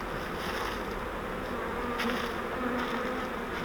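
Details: Captured honeybee swarm inside a fiber swarm trap during transfer to a Langstroth hive; a thick, continuous droning buzz of many bees, with a brief knock partway through.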